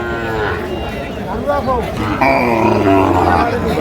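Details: Sahiwal breed cattle, including bull calves, at the Ambari cattle market on 7 March 2025, where a Chittagong farmer is buying; a drawn-out, low harmonic moo fills the second half, with men talking and crowd chatter throughout.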